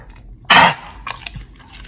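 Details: American Pit Bull Terrier named Oli eating raw fish and steak indoors, recorded in August 2023; one loud wet crunching bite, then softer scattered chewing clicks and smacks.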